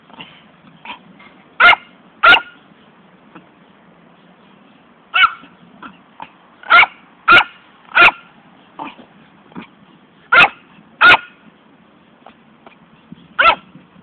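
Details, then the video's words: Female pet poodle that loves running after a ball but never returns it: bursts of loud, sharp barks in pairs and triplets with softer yips between, spread irregularly across the recording over a low steady hum. "Poodle atrás da bolinha"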